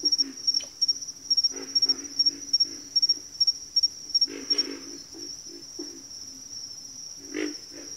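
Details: Chorus of frogs in a backwater, rapid runs of low grunting croaks in the first half, then quieter spaced grunts and one loud croak, under a constant high insect trill.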